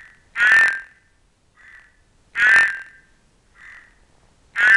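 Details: Horned frogs of the genus Ceratophrys, among them an albino Cranwell's horned frog seeking amplexus; three loud grating croaks about two seconds apart, each followed by a fainter, shorter croak.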